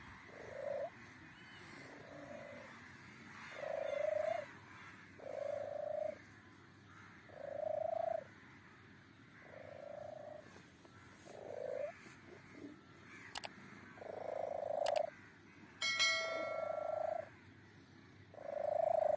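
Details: A kitten giving a steady run of strange, level mews, each under a second, repeated every one to two seconds, with a couple of sharp clicks and a brief high ringing tone partway through.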